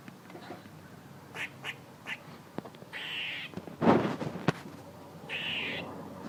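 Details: A squirrel calling: two drawn-out, harsh, buzzy notes about half a second long, with scattered short sharp chucks before them and a loud broadband thump near the middle.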